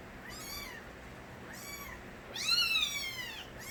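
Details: Young kittens born to Nabi, a street cat, crying loudly. Three distinct arched meows, the last the loudest and longest, with bright stacked harmonics over a low background hiss.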